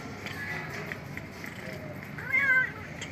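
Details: Homeless cat asking for food in front of a house gives one short, clear meow near the end, following a faint steady tonal hum and quiet background noise.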